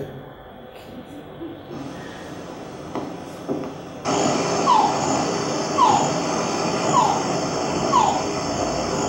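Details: A male rain frog (family Leptodactylidae) in the Yucatán Peninsula, Quintana Roo, Mexico, calls to females from small puddles such as hoofprints in open habitat near communities, giving short, falling whine-like calls about once a second over a steady hiss.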